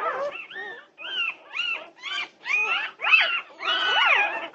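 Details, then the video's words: A litter of Norwegian Buhund puppies awake at 2:30 at night on June 8, 2021, crying together in loud, wavering, rising-and-falling whines and squeals, several voices overlapping in short bursts about once a second. "Puppy Pandemonium at 2:30am! Norwegian Buhund Puppies"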